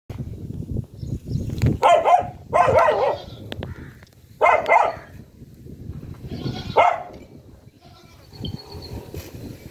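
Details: Puppy among buffalo and cows, giving four or five rough, noisy barks spaced irregularly over several seconds against a steady low rumbling background.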